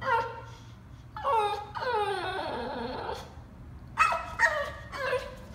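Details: Bulldog whining after time out for rough play, wanting something he cannot have: drawn-out wavering high cries lasting about a second each, sliding down in pitch, followed by three short yelping whines.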